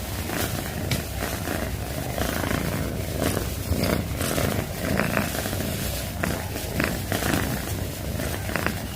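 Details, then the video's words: Cat purring loudly, a deep rolling rumble pulsing with each in- and out-breath, steady and close from start to end. "CAT PURRING - Loudest Purring Cat Video - Cat purring sounds || Suara Kucing mendengkur"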